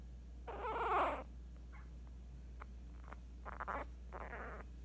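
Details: Tiny Scottish Terrier pup, eight days old and female, lets out a rough, grunting whine lasting under a second, followed by fainter snuffly grunts; low hum in the background.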